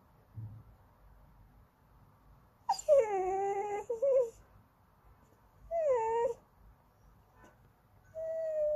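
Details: Andy the Goldendoodle fusses for treats or attention with sing-song whining: a long wavering whine sliding downward, a short rising follow-up, another falling whine, then a level note at the end, with quiet gaps between.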